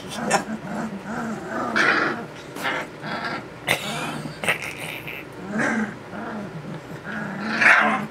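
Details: Two-week-and-six-day-old puppies trying out their new voices make a run of short, low, arched grumbles and little growls, with louder yips, sharp clicks and people talking in between.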